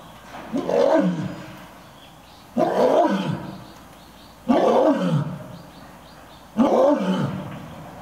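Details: Two lions at Toyohashi Zoo (Nonhoi Park), Japan, exchange roars in a roaring contest, trading deep, powerful bursts about every two seconds.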